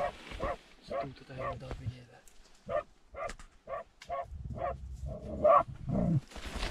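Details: Terrier barking inside a badger tunnel: muffled, hollow barks in short bursts roughly twice a second with brief pauses, followed by a low rumbling scuffle toward the end.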